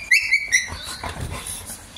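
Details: Siberian Husky at play with other pet dogs, giving a few high whining yelps in quick succession, then scuffling and a person's voice telling the dogs to stop.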